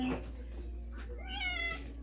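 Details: A hungry Indonesian village cat that followed its owner to the shop to buy tuna gives a drawn-out, rising-then-falling meow asking for food.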